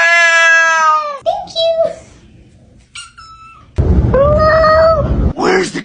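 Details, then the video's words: Domestic cat that has climbed up high meows in long, bright, steady tones, then gives shorter calls between a woman's thankful chatter indoors about catnip. "Talking Cats! Cats talking English!"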